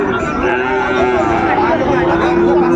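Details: Young Sahiwal bull offered for sale at the Ambari livestock market in Dinajpur, Bangladesh, in April 2025. A sustained, level moo with rich overtones runs almost three seconds against talking and bustle nearby.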